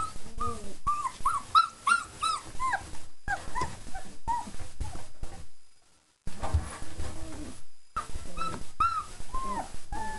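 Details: Four-week-old German Shepherd puppies just after a meal of kibble, yogurt, nutritional yeast and raw chicken, giving repeated high whimpers and squeaky yips that rise and fall, several pups overlapping, with soft shuffling and a short silent gap midway.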